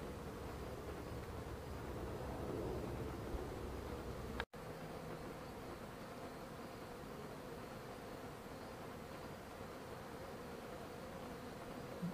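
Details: Honey bees at a hive entrance, a steady low droning hum of many wings filling the recording, with a brief click partway through and no other clear sounds.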